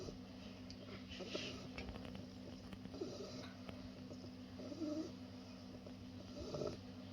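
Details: Sleeping Bulldog puppy Senbei, two months old, snores in quiet, rough bursts spaced about every two seconds, each breath a brief husky rasp against a constant low background hum.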